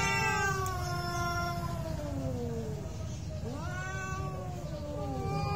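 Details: Two domestic cats in a real fight trade drawn-out wavering yowls, one voice sliding slowly down while another rises sharply near the end, over a constant low background hum.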